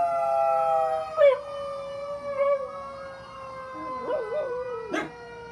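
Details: Ruby, a one-year-old mixed-breed rescue dog (Chihuahua, pit bull, German shepherd, Jack Russell, rat terrier), joins passing fire truck sirens with short wavering howls, then a warbling howl and a sharp yelp near the end, sirens droning throughout.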